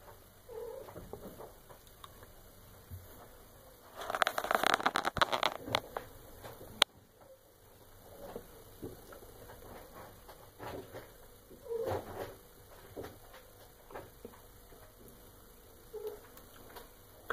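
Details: Indoor female Maine Coon cat aged eight and a half months at mealtime: a loud burst of rustling, then three short, mid-pitched meows spread several seconds apart against low room noise.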